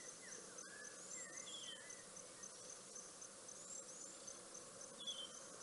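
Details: Wild dogs at a waterhole called Rosie's Pan in Balule Nature Reserve, South Africa, September 6, 2021, caught by a fixed webcam: short bird-like arched squeaks, a few grouped early then one higher note, beneath constant buzzing insects.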